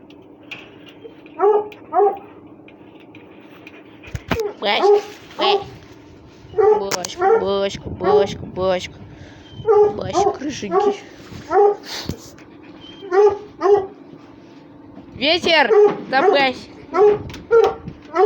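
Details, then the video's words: Several Russian Hounds playing and scuffling: a long irregular run of squealing yelps and whines, some clustered in quick bursts, others drawn out and wavering, with brief clattering noises in between. "РУССКИЙ ГОНЩИЙ СВИСТ, СКУЛИТ+СОБАКИ ДРАКА ИГРАЮТ"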